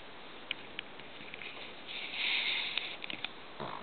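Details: Sleeping Shih Tzu snoring indoors: one breathy, hissing snore lasting almost a second in the middle, with small clicks and ticks scattered before and after over a quiet room background.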